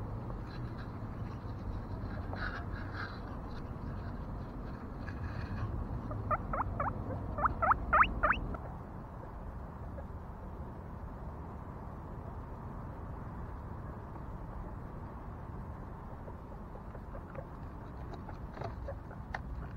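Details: Guinea pig giving a quick burst of short, rising squeaky notes, about six in two seconds, partway through, over a steady low rumbling background with faint clicks.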